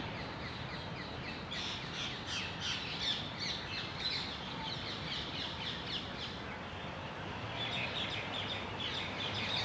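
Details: Squirrel near its den, filmed 27 March 2021, giving loud, sharp, high chirps in rapid runs of about three per second, strongest through the middle seconds, over a steady low background rumble.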